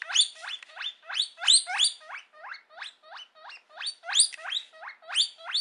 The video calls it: Guinea pig sounds